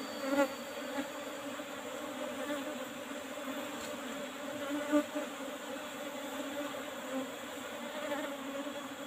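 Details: Soft, continuous buzzing from Asian honey bees at a harvest of a traditional box hive with a used asbestos lid. The hum holds an even pitch, with faint clicks scattered through it.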